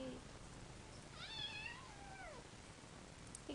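A Persian cat gives a single drawn-out meow that rises slightly, then slides down at the end.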